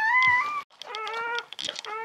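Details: Freshly born female Czechoslovakian Wolfdog puppy from Orizon and Rahan's litter of 21 November 2020 lets out a long, loud, steady whine, then a brief pause and further wavering whimpers, amid faint rustling.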